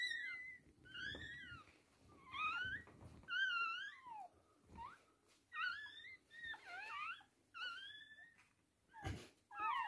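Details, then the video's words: Indoors while a Toy Poodle whelps three girl puppies: a run of thin, wavering squeals and whines, each dipping and rising, repeated roughly once a second with brief pauses. "Toy Poodle giving birth 3 puppies"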